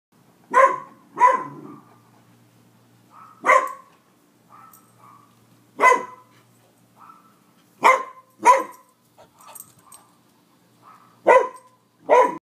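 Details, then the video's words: Deaf female Great Pyrenees barking at home, responding to the high-pitched bark of the neighbour's dog next door. Sharp, loud barks come singly and in pairs, roughly every one to two seconds. Softer, higher yips sound between them. "Daisy Pyrenees barks"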